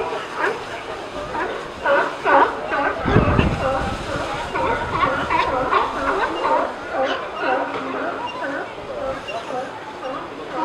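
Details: At Pier 39, a crowd of California sea lions gives hoarse, honking, overlapping barks in quick runs, forming a dense, raucous chorus with a brief low rumble. Sneezing is also reported.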